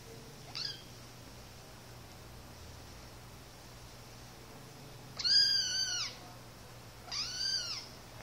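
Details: Two playing one-month-old Siamese kittens, a brother and sister: after a faint squeak, two clear, high, thin mews come about two seconds apart, each rising and then dropping in a short, plaintive arc over quiet room hum.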